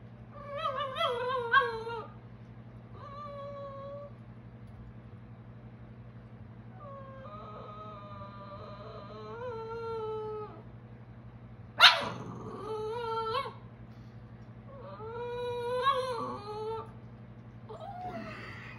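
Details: A female Boston Terrier puppy gives wavering, yodelling howls broken by one sharp bark, directed at her Boston Terrier brother.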